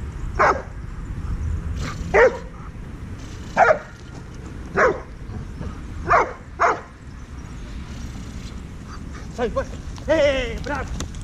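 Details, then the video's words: Ten-month-old Dobermann named Heusty with a dog trainer: single deep barks spaced one to two seconds apart, then a rapid cluster of short yelps near the end, over low background rumble. "Heusty the dobermann"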